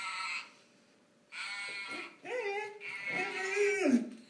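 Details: A golden retriever dog in its first vocal attempts at 'singing' indoors: drawn-out, whining, howl-like tones with wavering pitch that slides and falls, in two bursts separated by a short quiet gap.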